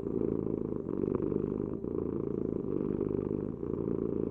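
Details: Domestic cat purring: a steady low rumbling vibration that swells and eases in roughly one-second breathing cycles, with no other sounds.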